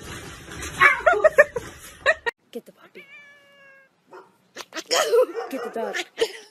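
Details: Domestic cat in a funny pet compilation uttering a short, clear, slightly falling meow, framed by bursts of human speech, laughter-like chatter and handling noises before and after.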